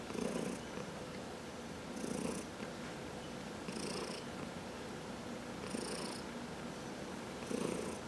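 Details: Purring of a pet cat during a massage, one of four household cats that include senior cats adopted from the Humane Society of New York City; steady low rumbling swells with each breath, roughly every two seconds, carrying a soft hissy edge, in a quiet room.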